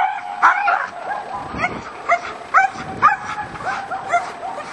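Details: A German Shepherd gives sharp, aggressive barks in quick, uneven bursts during aggression training at a dog training school.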